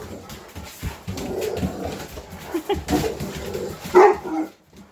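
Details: Household English Mastiffs, one of six giant pet dogs named Roxy, Riley, Cammie, Sammie, Axl and Rose, talking back indoors: low grumbling moans through the first seconds, then a louder, sharper vocal burst near the end, with room noise.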